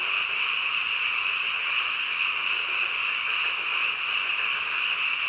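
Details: Frogs in full night chorus at midnight, an uninterrupted high-pitched trilling blend sustained at steady volume, without distinct individual croaks or other background sounds.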